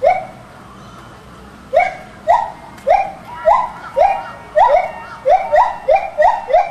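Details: Two gibbons at Maruyama Zoo singing together while swinging on their long arms; a series of rising whooping notes that start after a short pause, then come faster and more regularly, about two per second.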